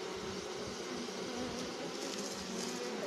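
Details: Honey bees at a hive entrance fanning their wings to spread the queen's pheromones and signal the swarm that she is inside; a loud, steady buzzing hum with rough low pulsing and airy hiss above.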